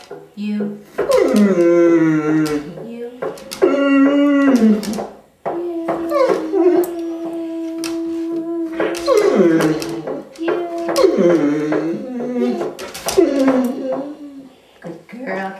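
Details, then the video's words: Female Curly-Coated Retriever aged ten singing "Till There Was You" in her nightly routine; repeated sliding, quavering howls in bursts alternate with a person's long held sung notes and brief talk. "the singing dog - Curly-Coated Retriever"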